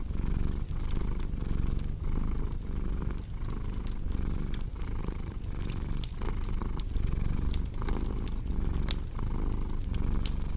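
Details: Steady, deep purring from a cat, its throbbing rumble rising and falling in short breath cycles, mixed with a constant scatter of crackling fireplace snaps.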